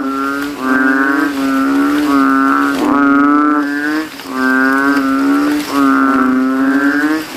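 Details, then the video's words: Banded bullfrogs in a water puddle at a cemetery on a rainy night, competing in a loud calling contest with inflated throats. Long, droning, bass-heavy moans run together, broken by only a few short pauses. "GENANGAN AIR MENJADI AJANG LOMBA KODOK INI BERTARUNG SUARA KERAS"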